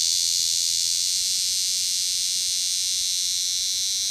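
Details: Big green cicada in Lancaster County, Pennsylvania, on August 18, 2016, giving a steady, high, hissing buzz that holds without a break throughout.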